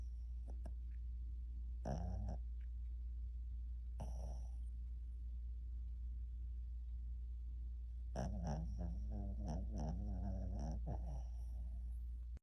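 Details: Snoring pup asleep and interrupting a nap: short raspy snorts early on, then a long buzzing run of rattling snores near the end, steady low hum throughout.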